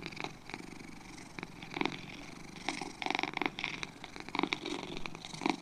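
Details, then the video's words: Purring from two domestic cats: a soft continuous rattle that builds toward the end into louder, rhythmic pulsing bursts, close and intimate, quiet surroundings. "2 Cats Purring"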